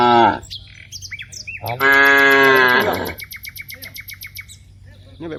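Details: Cows from a herd of dozens in a wide rice field: a long, loud harmonic moo lasts over a second, preceded by a short low bellow, with chirping birds in the background throughout.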